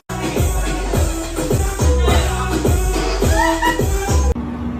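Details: Electronic dance music with a thumping beat, scratch effects and a brief voice, ending abruptly; no animal sound is audible.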